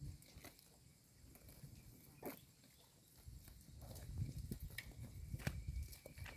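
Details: Tame cows graze on wild grass on the outskirts, giving low, crunchy munching and soft tearing of grass stems. Several sharp clicks and brief rustles break through, and the chewing swells in the second half.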